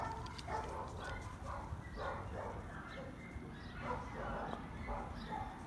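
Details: Spring, a female Labrador at a no-kill shelter in Dallas, Texas, gives a loose run of mid-pitched barks at irregular intervals, with low rumbling room noise and some human voices underneath.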